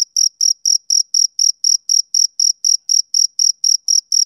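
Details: Male cricket on a summer evening, sounding a steady train of short, shrill, ringing chirps about four per second, clean and regular with a quiet high overtone and no background noise.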